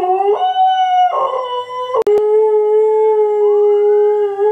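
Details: Howling in reply to neighborhood sirens, Nikki the Alaskan Malamute holds a steady, sustained tone with brief breaks and a sharp click near two seconds, while a faint siren sweep rises behind.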